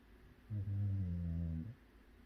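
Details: A sleeping Jindo mix dog snoring indoors: one low, rumbling, harmonic snore about a second long that starts abruptly and fades out, with quiet room tone before and after.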